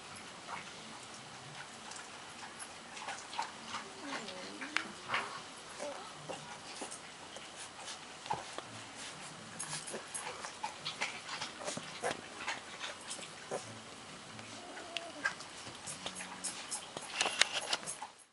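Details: Thirteen-day-old puppies, eyes opening and just beginning to walk, give soft, thin whimpering squeaks that rise and fall in short bursts, among constant light scratching and clicking of small paws moving indoors.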